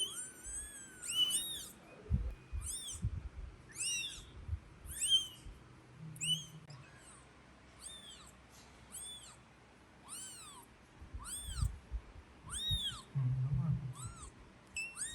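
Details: Crying kitten, later brought back to the nest by its annoyed mother: a steady series of shrill, arching mews about once a second, some sliding lower, over soft bumps and scuffling.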